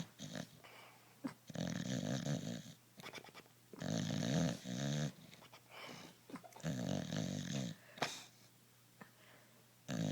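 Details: Bulldog snoring in its sleep, long buzzy rumbling inhalations of one to one and a half seconds recurring every two to three seconds, broken by brief snorts and snuffles.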